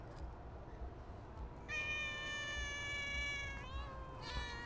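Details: A stray cat at feeding time gives one long, steady, drawn-out meow lasting about two seconds, then a shorter falling meow and a brief upturned one, against low continuous background rumble.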